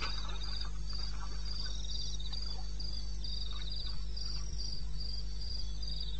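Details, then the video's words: Crickets calling in the wilderness of eastern Botswana at 02:30 on 21 May 2016. Their high, pulsed chirps repeat in quick, steady bursts, with a constant low hum underneath and faint scattered clicks. "1 Hour cricket sound-Africa-No loop-Real recording."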